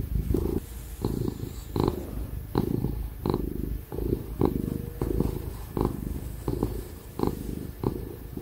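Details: Ginger cat Tig, very happy, purring while being stroked; a low vibrating drone broken into regular breaths about every three quarters of a second, small tapping sounds of the hand and laptop fan noise underneath.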